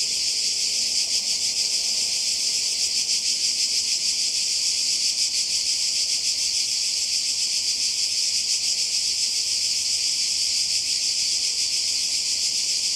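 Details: Summer cicada chorus on the Croatian coast, recorded in 2020: a continuous shrill drone, high and hissing, with rapid rhythmic pulsing and no pauses.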